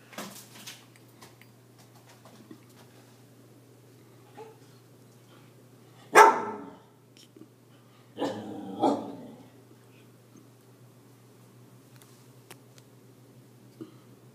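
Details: Siberian Husky frightened by a balloon, giving one sharp, loud bark mid-recording, then two more barks in close succession a couple of seconds later, with quiet gaps and a faint low hum between.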